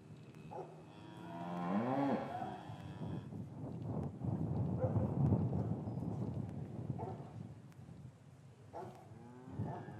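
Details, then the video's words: Cows lowing in an English cattle yard on a winter afternoon, calves separated from their mothers; one rising, harmonic moo swells near two seconds, followed by a long stretch of broad shuffling yard noise and a brief low call near the end. "Cattle Yard - One Hour Ambient Sound"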